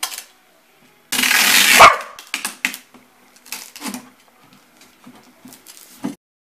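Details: Corgi still hating packing tape a year on, reacting as tape is ripped loudly for nearly a second, then giving a scattered series of short, low yips and barks, with a woman talking.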